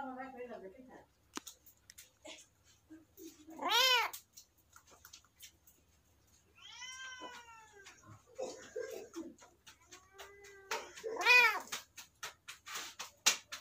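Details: A kitten gives repeated arched meows, several loud and high-pitched, others softer and lower, separated by short pauses with scattered clicks and rustling.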